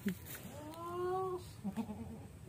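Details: Sick goat with an infected navel and stiff legs, one smooth, steady, slightly wavering bleat of about one second, with people talking quietly before and after.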